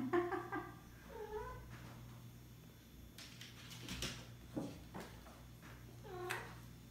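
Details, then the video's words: Maine Coon kittens, HoneyMelody's boys, playing indoors with ping pong balls and a toy mouse; short arched meows open the recording, another comes around the one-second mark and a last one near the end, with soft thumps and rustles between. "Maine Coon kittens playing with ping pong balls and kittens playing with mouse"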